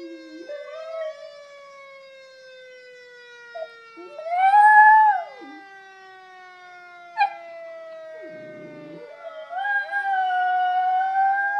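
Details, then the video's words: A schnauzer joins a fire siren: one loud, arching howl in the middle swells up and falls away, with brief yelps and a rough low growl-like burst later, against the siren's continuous falling wail. "My schnauzer singing with fire siren"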